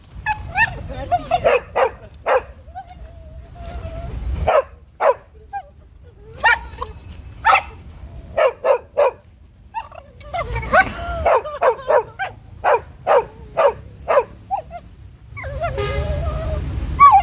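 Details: A beagle playing with a dog friend makes a rapid, whimpering, fast-forward-tape-like string of yips and cries, while a third dog watching the scene barks.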